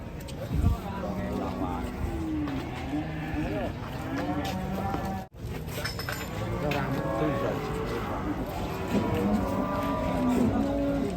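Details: Cattle, a giant cow brought to market, lowing amid a noisy crowd; low drawn-out moos with harmonic bands, overlapping chatter of many people and a sharp break near the middle.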